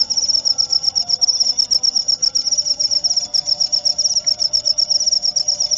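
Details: Continuous cricket song meant to chase off rats: bright, very high rapid pulses repeating steadily about four times a second without pause, a quiet low hum behind.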